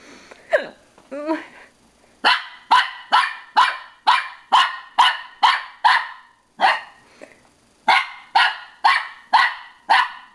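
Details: Pippin barking at his own reflection in a mirror: a short whine, then a long insistent series of about seventeen sharp barks, evenly paced about two per second, with a brief pause midway.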